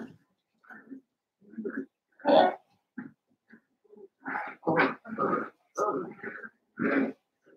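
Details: Indoor pen of five blenheim Cavalier King Charles Spaniel puppies, seven weeks old: a string of short gruff grunts and small growling yips, about one every half second toward the end, soft and rough-toned.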